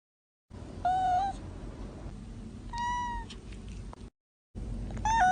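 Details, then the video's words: Kittens meowing: three drawn-out, tonal meows, each level or slightly falling with a rich ladder of overtones, separated by pauses, over a steady low background hum with brief silent gaps. "GATINHOS MIANDO MP3 || SONS DE GATINHOS MIANDO EFEITO SONORO"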